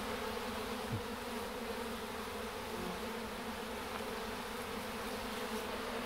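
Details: A swarm of honey bees marching into a hive box toward their queen, drawn by her pheromone: a steady, dense low hum of many wings holding throughout, with soft rustling.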